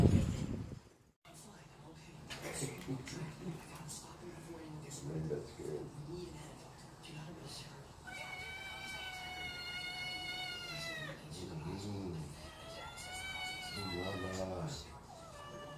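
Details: Tabby cats cuddling and snuggling each other indoors; after low murmuring voices, two long drawn-out meows sound, each lasting about two to three seconds with a slight falling end, over steady room noise.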